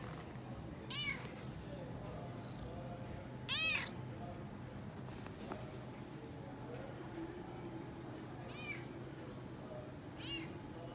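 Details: Frodo, a Toyger cat, meowing excitedly while exploring a pet shop after his vaccination: four short, bright, arched meows spaced a few seconds apart over a steady low indoor hum.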